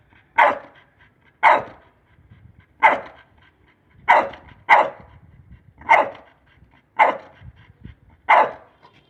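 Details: Pit Bull named Lucy during obedience training on voice commands: eight sharp, loud single barks spaced roughly one to one and a half seconds apart, each a brief burst, with quiet gaps and faint low background noise between them.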